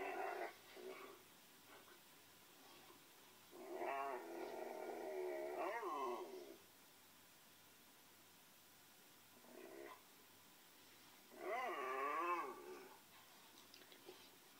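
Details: A Pinscher dog gives drawn-out, wavering, whining howls in two main bouts of about two seconds each, with a brief softer call between them, against a quiet background.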